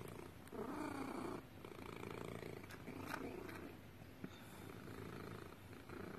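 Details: Pet cat purring close to the microphone, a buzzy low rumble that rises and falls in regular pulses, with a few soft clicks and rustles.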